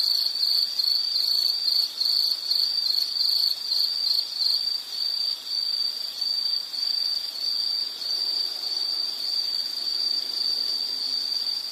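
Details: Insect trilling in fast pulsed chirps for the first few seconds, then settling into a smooth, unbroken high-pitched tone that continues steadily to the end.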